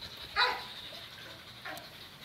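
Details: Kato, a 4.5-year-old male Thai Ridgeback who has lived almost two years in a shelter, at a first touch with a stranger: one sharp, loud bark early on, then a fainter, shorter bark about a second later, over steady background hiss.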